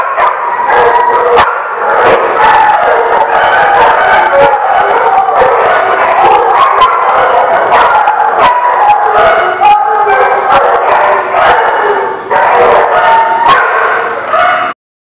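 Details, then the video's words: Many dogs at The Barking Lot on 29 March 2019 barking and howling together in a loud, unbroken din, sharp barks repeating rapidly over drawn-out wavering howls, ending abruptly. "The Barking Lot"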